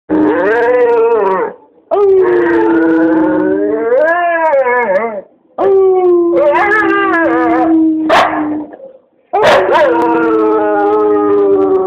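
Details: Copper, a dog, howling in long sustained harmonic notes that rise and waver, several howls separated by brief pauses, some ending with sharp upward yelps; no other clear sounds.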